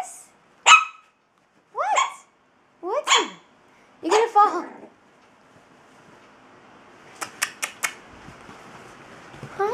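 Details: A puppy barking while playing gives four high, squeaky yaps about a second apart, followed by softer whines and clicks.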